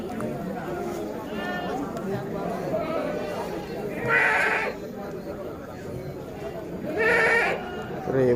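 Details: Bligon semi Jawa Randu goats held for breeding in Java, Indonesia, young does among them. Two nasal bleats come about three seconds apart while a man talks steadily throughout.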